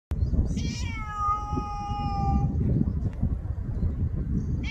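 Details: A ginger domestic cat lets out a single sustained, clear meow of about two seconds that holds steady, then slides gently down, over a low rumbling background hum.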